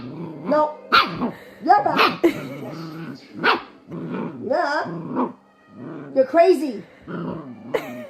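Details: Dog with attitude quarrelling with its owner through a string of short barks, grumbling growls and whiny yips. The owner's voice overlaps throughout.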